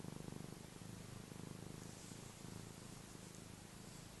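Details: A contented house cat purrs throughout, a deep even vibrating drone pulsing rapidly with slight swells in loudness, faint airy noise behind.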